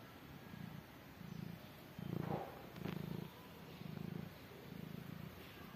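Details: Mother cat caring for newborn kittens, purring low and steadily in rhythmic bursts about every 0.8 seconds, each pulse a deep rumble with a slightly louder stretch in the middle.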